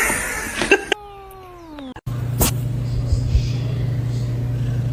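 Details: Cat, from a compilation of funny pets, giving one drawn-out meow that slides gently downward over about a second, preceded by a short clattering noise and followed by a low steady hum and a sharp knock.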